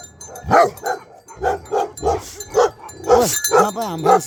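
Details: Nepal's Bhote Kukur, a Himalayan sheepdog, giving short rough barks roughly every half second, mixed with a few whining, tonal notes and a person's voice nearby.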